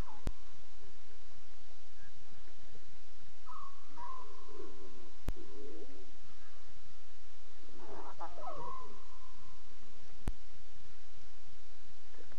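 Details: Night-time lion cubs talking at 2:40 a.m., 5 October 2016: a flat whistled note, then wobbling, rising-and-falling mews and a burst of harmonic calls near eight seconds, against steady background hiss and sharp clicks.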